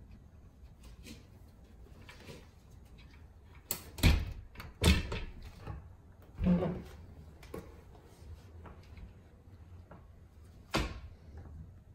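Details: Indoor room sounds: several sharp thumps and knocks like doors or cupboards closing, faint low hum between them, and no animal calls.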